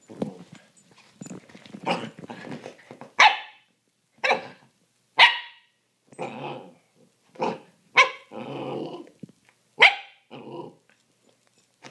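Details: Two puppies play-fighting indoors on a couch; rough growling at first, then a run of high, sharp barks every second or so, interspersed with rumbling growls and snorts.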